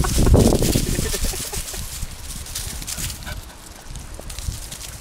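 A Boston Terrier gives a low, rough, rumbling growl, an angry warning over a stick.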